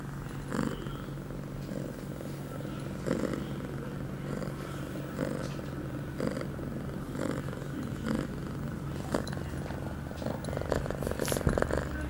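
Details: Eight-month-old house cat Pia, on heat, recorded on September 23, 2011 shortly after taking a birth control pill for the first time; continuous low purr broken by regular breathing surges, faint room noise behind.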